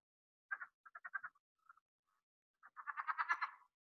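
A southern leopard frog calls with squeaky, rubbery clucks, like a finger rubbed along a balloon, grouped in quick bursts. After a brief pause it breaks into a longer, faster chuckling run with a laughing, cackling quality.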